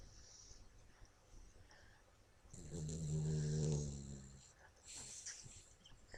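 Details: Sleeping dog named Toby snoring: quiet breathing at first, then one loud, drawn-out, guttural snore of about two seconds, followed by a softer airy exhale and faint rustling.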